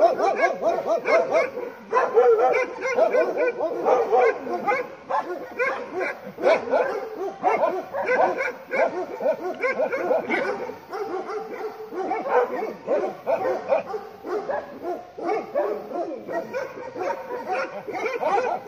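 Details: Farm Bhotia dog reacts to a leopard approaching with a long, unbroken run of sharp, repeated barks. The barks are dense and urgent, stacked closely together for nearly nineteen seconds.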